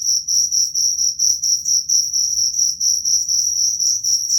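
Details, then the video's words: Cricket chirping used as a rat repellent, shrill and high, in short bursts of about two per second that run almost together, with a soft low hum underneath. "Suara jangkrik pengusir tikus"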